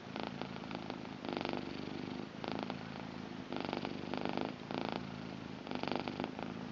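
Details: Female blue British Shorthair cat purring: continuous low vibrating rumble pulsing in alternating louder and softer phases about once a second, the rhythm of her breathing, with no other sounds.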